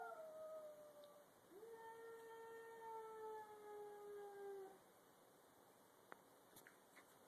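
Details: Two domestic cats, a grey-and-white stray and a black cat, facing off in a garage before a fight: long, quiet, drawn-out wails holding a steady pitch and sliding slightly downward, one voice overlapping another.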